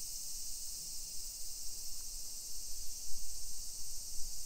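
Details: High, continuous cicada buzzing on a summer walk through suburban Nisshin, Aichi Prefecture, Japan, at 1 PM on 28 July 2021, a flat shrill hiss that never breaks, with louder low thumps of footsteps and street noise underneath.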